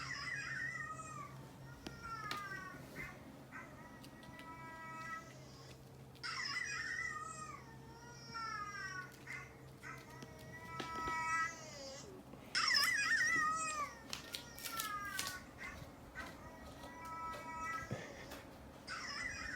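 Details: Domestic cats reacting to the sound of a dog barking, indoors; a run of high, harmonic meows with falling and wavering pitch, several close together, some overlapping, with short sharp knocks and a low steady hum behind.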